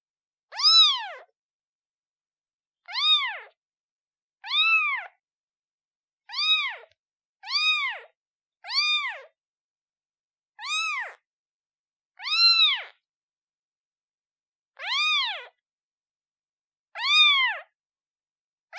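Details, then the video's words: Newborn kitten meowing for its mother, about ten thin, high, arched mews that rise and drop, spaced roughly one to two seconds apart at an uneven pace, with silence between cries. "Kitten meows sound effect Black screen Newborn cat calling mom"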